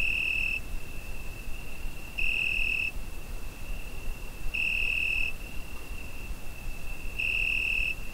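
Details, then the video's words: Summer-night cricket recorded on a Zoom H5, its continuous high trill rising into louder pulses lasting under a second, roughly every two to two and a half seconds, with a low rumble underneath. "Summer Night Cricket Sound Effect"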